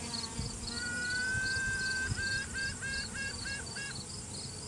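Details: A virgin western honey bee queen pipes from inside the hive during a routine frame check, one long steady trumpet-like tone then short toots, asserting dominance; workers pause; an unlocated reply is suspected to be another virgin queen.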